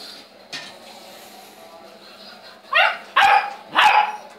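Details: Saint Bernard dog giving three sharp, harmonic barks in quick succession near the end, after a quieter stretch with one faint knock.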